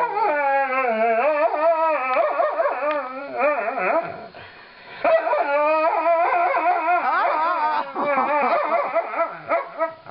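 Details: Female Alaskan Malamute named Lightning vocalizes during brushing, a continuous wavering, yodelling howl with quick pitch wobbles and a brief dip near the middle before resuming, a mournful woo-woo delivered almost without pause.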